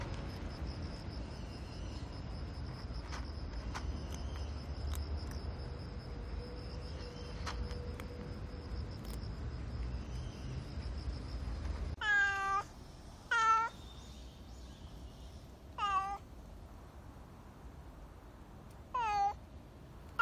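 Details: Nero, a black street cat described as expressive and dog-like with a distinctive cry, calling around feeding time: four short, harmonic meows, each sliding downward, in the second half after a stretch of low rumbling background noise and a faint steady whine.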